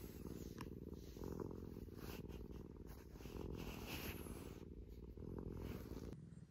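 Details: Maro, a rescued house cat seeking attention like a kitten again, purrs loudly and continuously in a quiet room, the low vibrating rumble rising and falling gently with each breath.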